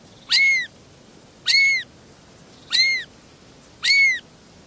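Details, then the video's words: Three small kittens calling: four loud, thin, high-pitched mews, each a brief arched cry, evenly spaced about every second and a quarter against a quiet background. "Three little kittens are meowing"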